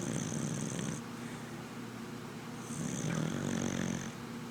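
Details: Snoring red cocker spaniel called Sadie, sleeping; rough low rattle with a hissing whistle, two breaths a few seconds apart.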